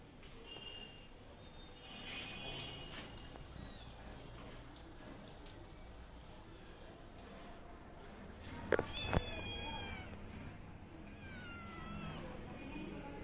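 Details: Hungry cat waiting for milk, a kitten eating before the mother cat: a few thin, falling meows in the later seconds, partly masked by steady background noise and two sharp knocks.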